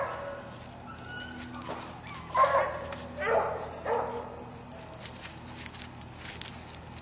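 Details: Male dog named Bouncer gives three loud, drawn-out baying barks a little under a second apart midway through, with quieter background noise between.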